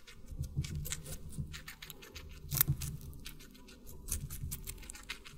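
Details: Watermelon being chewed by a guinea pig, close and intimate: a steady run of moist crunching bites with one sharp snapping crunch partway through, then softer repeated chewing.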